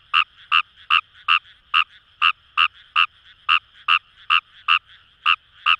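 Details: Kawamura's rice frog in Fukuoka paddy fields, Japan, delivering crisp, clicking croaks spaced evenly about every third of a second, some fourteen notes, each with a high ringing tone, a faint chorus murmuring behind.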